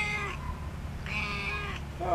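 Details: An elderly female house cat that still plays like a kitten gives two drawn-out meows: a short one, then a longer, level one about a second later, over a low background hum.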